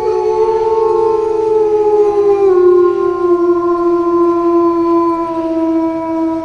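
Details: Wolf howling: long, smooth, slowly falling tones, with two voices overlapping, one lower and steady, one higher that drops in steps, held for the whole stretch.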